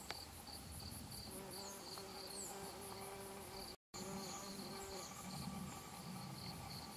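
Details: Foraging Bombus hypocrita worker bumblebees visiting yellow devil's beggartick flowers for pollen and nectar, late September 2012 in Japan; a low droning hum with layered overtones rises and fades, beneath steady rapid pulsed insect chirping high above and a brief dropout.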